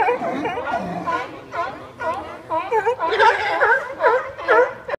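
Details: Barking sea lions in San Francisco: rapid, overlapping honking barks with bent harmonic tones, denser and louder in the second half, with a brief lower murmur near the start.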